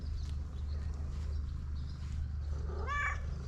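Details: Pom pom, a street cat, insistently meowing for food: after a stretch of low background hum, one short rising-then-falling meow with bright harmonics near the end, no speech over it.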